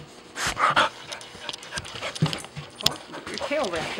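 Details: A golden retriever puppy gives short, harsh barking bursts while playing with another dog at a home-style dog daycare in the Blue Hill area of Maine, followed by a person speaking.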